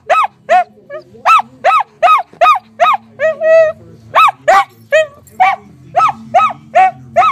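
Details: A dog barks until his ball is fetched from under the couch: loud, sharp barks repeated about every half second, with one longer whining, harmonic bark near the middle, in a quiet room.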